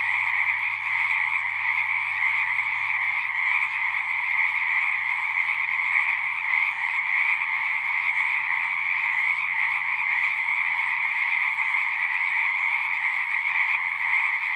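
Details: Frogs in full chorus produce an unbroken, pulsing trill at a high and a middle pitch, steady and dense throughout, accompanied by a faint low drone fading in and out.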